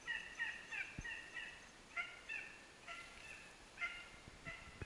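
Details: A dachshund hunting dog bays in quick, ringing yelps while trailing a hare during a hare hunt in Norrland, Sweden, the calls coming in short bursts.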